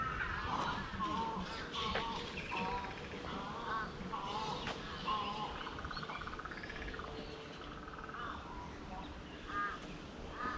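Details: Bats in a park forest in Brisbane, Australia: a chattering run of short, harsh, harmonic calls, repeated irregularly about once or twice a second and overlapping from several animals, with a steady hum of background noise.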